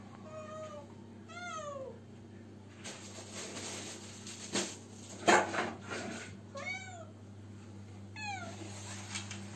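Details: Mateless cat meowing repeatedly, about five sweeping cries that rise and then fall, spaced one to two seconds apart. Thumps and rustling sit between the calls, with a low background hum throughout.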